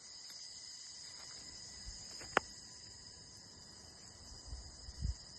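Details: A continuous insect drone of crickets holds unbroken, shrill, even tones throughout. One sharp click lands midway, and soft low bumps near the end sound like rustling or movement.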